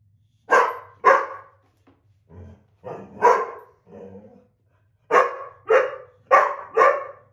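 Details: White Boxer upset that an older black Lab mix took the window seat indoors; pairs of sharp barks, a stretch of grumbling growls, then a fast run of four barks near the end.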